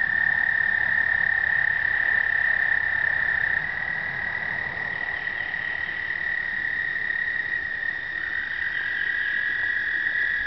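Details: American toads breed explosively in an Indiana pond on the first warm days of early spring, trilling together in long, steady, musical trills that overlap at slightly different pitches.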